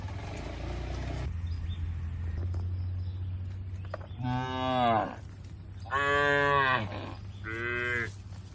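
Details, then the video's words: Tame cattle herded toward a broad field in a peaceful rural setting: three moos after a low hum, the first dropping in pitch, the second long and level, the third shorter, spaced about a second apart. "Suara Lucu Sapi"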